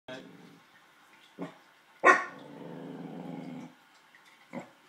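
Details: A male corgi, upset by luggage he dislikes, gives short gruff barks followed by a long, low rumbling growl, the most he has ever growled.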